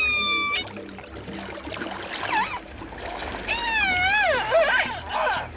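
Orca calls: squealing, harmonic tones that swoop up and down, with music underneath.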